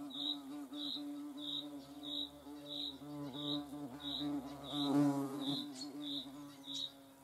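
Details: Hornet in the Eifel region, a continuous low droning wing buzz with rich harmonics, briefly swelling louder midway, alongside steady high chirping pulses repeating roughly every two-thirds of a second.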